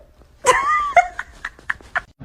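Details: Kitten indoors gives a loud drawn-out meow that slides downward, then a shorter cry, followed by several short rhythmic squeaks, with playful fighting going on and no voices over the calls.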